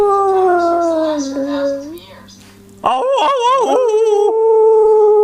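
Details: A male beagle-spaniel cross howls long, sliding notes, then a wavering, yodelling howl that settles into a steady tone.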